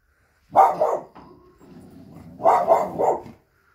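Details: American Staffordshire Terrier barking: two short bursts of deep, rough barks, a single bark then a quick double-triple bark about two seconds later, with a low growly rumble between them.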